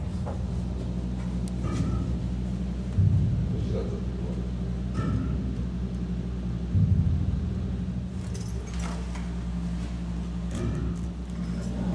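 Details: A constant low droning hum, like machinery or an engine, fills the recording, with occasional soft knocks and clatters. No distinct animal call stands out.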